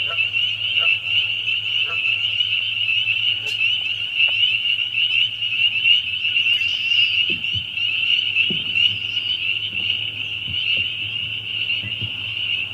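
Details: Loud chorus of many spring peepers: a dense, continuous high-pitched peeping wall of sound, unbroken throughout, with occasional low thumps and faint knocking in the background.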